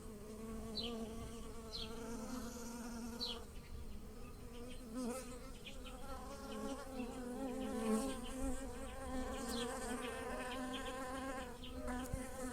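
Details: Bees drone with a steady, low hum that swells and fades as they fly over blossoming lilacs in a garden, pollinating them.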